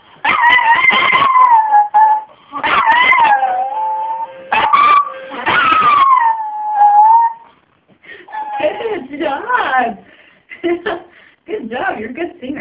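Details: A dog sings along with a harmonica, giving drawn-out falling howls over sustained harmonica tones for the first seven seconds, followed by broken, choppier sounds with pauses.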